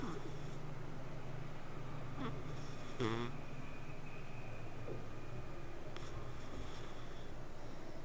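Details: Sleeping cat purring indoors: a low, steady rumbling drone that continues through the whole stretch, with a brief faint voice-like sound near the middle.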